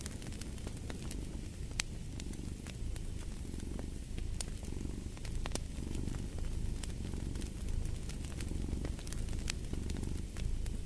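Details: Cat purring as a deep continuous rumble that rises and falls about every second and a half, while a fireplace crackles with frequent bright pops throughout.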